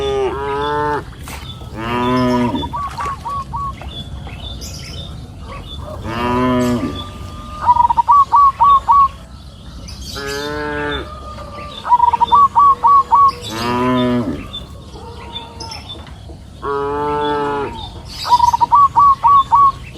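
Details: Cows grazing freely on a green pasture hill in the afternoon, mooing in long, deep, harmonic calls roughly every four seconds, with short quick trilled chirps of a bird between the moos and a faint steady whistle-like tone.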